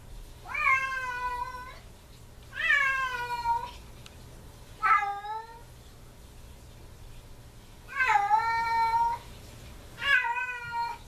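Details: Domestic cat whining and crying at the door after its owner leaves; five drawn-out harmonic meows, each rising then falling, spaced about two to three seconds apart with quiet gaps and a faint low hum indoors.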